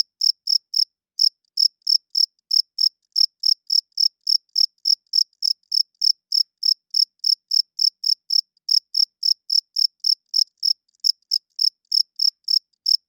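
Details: A long run of nocturnal cricket chirping, made by the male's wings to court females and mark territory: some forty-five sharp, high pulses at about three per second, broken by brief pauses near the start and later on.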